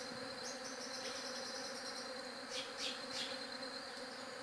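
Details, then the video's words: A steady, droning hum of bees, low and unbroken, with a thin high whine throughout and a few brief sharp high chirps near the end. "SOM DE ABELHA"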